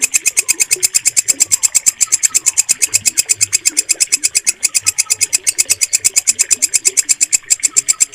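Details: Walang kecek bush cricket chirping steadily, a recording meant for training caged birds to sing. Bright, shrill, raspy pulses repeat at an even pace of roughly three per second throughout, over quiet, faint background chirps.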